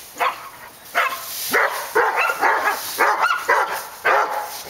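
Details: Dogs at Park Drive giving loud, separate barks at an uneven pace, roughly one or two a second, each a short sharp burst.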